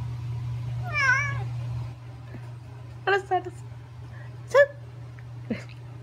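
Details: Pet cat Gureumi scolding with one clear wavering meow early on, followed by several clipped, chirp-like grumbles spaced a second or so apart against a low steady room hum.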